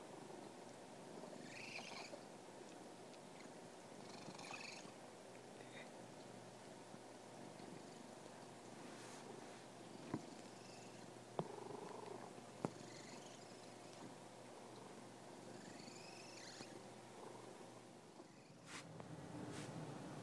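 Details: Domestic cat purring, a steady low rumbling hum through the whole stretch, with faint breathy higher bursts roughly every three seconds and a few sharp clicks near the middle.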